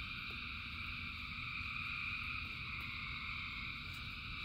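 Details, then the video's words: Many frogs call at once in the rain, their trills fused into a constant shimmering high drone, set against a dense low patter of rainfall with a few brief sharp taps. "Frogs in Rain 2 Hours of Frogs, Thousands of Frogs Singing"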